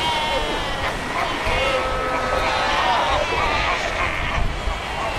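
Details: Cape fur seals in a huge colony of over 100,000 at Cape Cross on the Skeleton Coast, by the ocean and rocks; dense overlapping bleating, wavering calls from many animals over steady surf-like roar.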